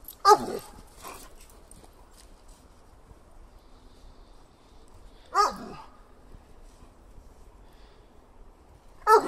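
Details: Male German Shepherd, roughly two to four years old, with soft ears, an active, playful shelter dog awaiting adoption; single sharp barks, some doubled, separated by about five seconds of quiet.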